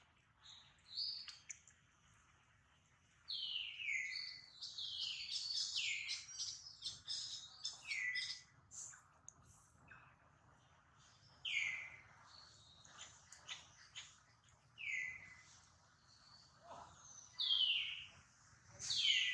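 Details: Baby monkey Duke, hurt after a failed catch by mother monkey Duchess, cries in loud, high, shrill downward-sliding screams, each dropping sharply in pitch, coming in irregular bursts with short silent gaps between them.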